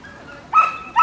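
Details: Wire Fox Terrier at a dog run, recorded on an iPod nano: two short high, tonal whining yelps about half a second apart, the first longer and steady, over quiet background.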